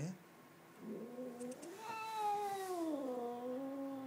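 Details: Mia, a pet cat that suddenly went crazy one day and stayed that way, gives a long drawn-out yowl that swells, wavers and slides downward over about two seconds, rich and nasal, after a softer brief cry at the start.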